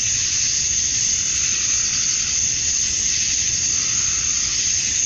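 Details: Male cicadas chorus at summer dusk in Georgia, USA, calling to attract females: a dense, unbroken high-pitched hiss that holds steady in loudness for the whole stretch, with no other clear voices.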